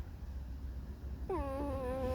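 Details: Alice, a pet fox in a whiny, discontented mood, gives a single squeaky whine after a second of quiet. It starts slightly higher, then settles into a steady, mournful, harmonic-rich tone over a low background rumble.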